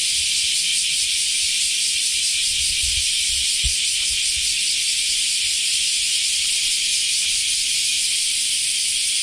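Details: Cicadas, called semi in Japanese, in summer in Japan just after the rainy season, sing a loud, steady, unbroken hissing buzz, high-pitched and constant throughout, with faint low rumbling beneath.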